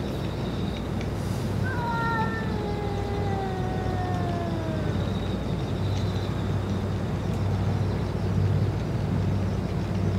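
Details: Stray boss cat, after eating its food and medicine, gives one long drawn-out meow lasting about three seconds. The harmonic tone slides slowly downward against a constant low rumble of traffic.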